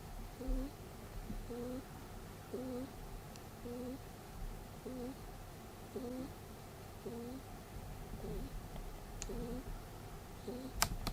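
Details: Peter the pet rabbit sleeps and snores. About ten brief, whistly, upward-sliding nasal squeaks repeat steadily, a little over one per second. A few sharp clicks come near the end in an otherwise quiet room.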